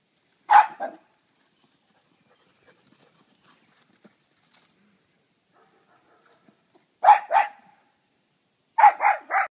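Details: Playing ball, a young husky/corgi cross and a short-legged Jack Russell Terrier bark in spaced bursts: a double bark, six seconds of near silence, then a double bark and a fast run of three barks.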